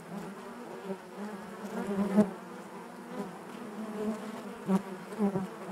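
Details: Honey bees inside their hive, a steady low drone with a fundamental near 200 and stacked harmonics above, swelling softly with brief louder buzzes of individual bees passing close at about two and five seconds.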